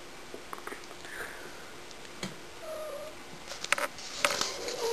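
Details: A pet cat called Shy, behaving annoyingly, lets out a thin, rising high meow followed by a softer, lower drawn-out one, amid rustling, tapping and handling noises.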